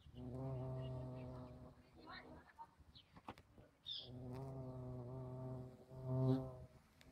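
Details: Bumblebee humming past, a deep steady buzz heard in three passes, the first and second lasting nearly two seconds each, with a brief high chirp and soft rustling in the gaps between them.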